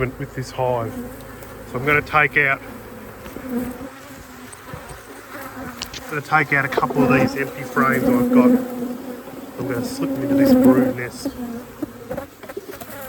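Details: Honey bee colony at peak production, buzzing during an apiary inspection: a steady hum underlies repeated bursts of wavering, whining flight buzzes, busiest early and again in the second half.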